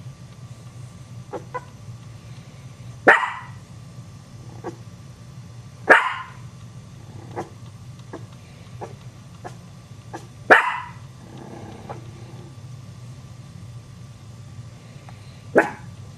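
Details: Three Chihuahua puppies startled by the Maltese dog Muffin, little Cocoa answering with barks; four loud, abrupt barks come at irregular intervals of roughly three to five seconds, with faint ticks and rustles in between over steady low hum.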